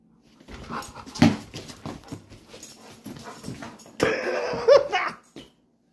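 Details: Large black Labrador Retriever indoors, giving a run of soft snorting, wheezy grumbles, then a louder breathy groan with a short rising whine near the end before falling silent.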